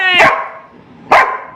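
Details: Pet Labrador Retriever named Rimi barking while fighting for food, impatient for a hot meal to cool; two sharp harmonic barks about a second apart, a woman's voice speaking Bengali nearby.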